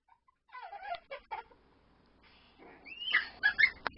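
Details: Miniature Pinscher puppy Boo Boo, seven weeks old, playing with his lamb toy in his bed indoors, October 10, 2010; high, squeaky whines and yips come in two short bursts, quieter first, then louder and sharper.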